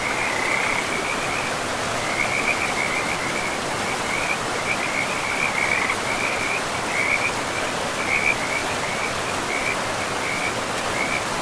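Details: A chorus of frogs along a forest river amid moss-covered ground: rapid, chattering trills repeated in uneven bunches throughout, with a continuous watery hiss of the river underneath.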